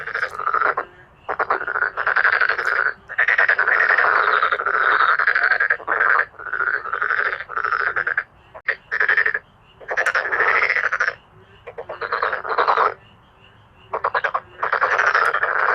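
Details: Chorus of male black-spotted pond frogs calling loudly, overlapping rattling croaks in bursts of one to three seconds with short gaps, dense and continuous, powerful and dramatic.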